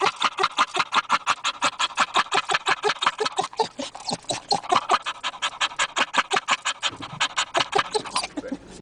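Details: Rhythmic dog laughter: quick, even huff-like pulses close to three per second, breathy and bright, easing toward the end.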